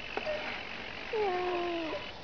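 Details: A domestic cat whose voice is said to sound like "ne znayu" (I don't know). A short faint note, then a longer flat, drawn-out meow over steady background hiss.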